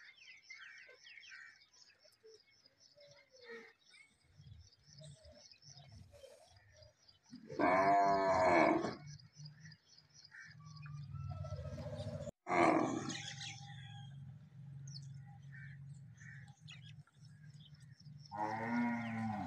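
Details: Cow with a large bull during mating; a loud, harmonic moaning bellow of about a second and a half, a second call about five seconds later, high chirping birds early on, and a steady low hum in the second half.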